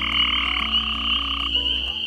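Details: In a West Virginia wetland, a gray tree frog calls with a steady, high, buzzing trill that runs without a break.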